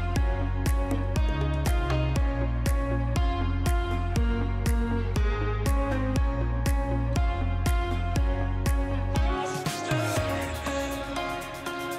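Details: Electronic music with a steady, repeating beat and layered tones that swells into a brighter wash near the end; no animal sound is heard.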